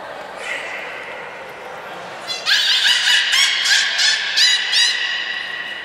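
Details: During training at Port of Nagoya Public Aquarium on 13 April 2019, the beluga Nana produces a run of bright, harmonic squeals with quick upward chirps, about five pulsed bursts in three seconds after a quieter whistled opening.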